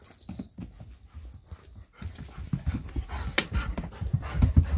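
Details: Golden Retriever back inside after an evening walk, pressing for a treat before being given sweet potato; quiet huffing breaths that grow into louder, quicker panting and snuffling, with a sharp click midway.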